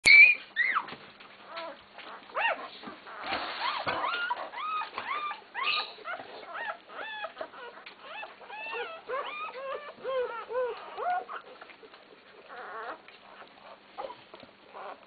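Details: Twelve newborn Basset Hound puppies, born that day on 6 September 2010, give a chorus of thin, high squeaks and whimpers that overlap and rise then fall while their mother tends them.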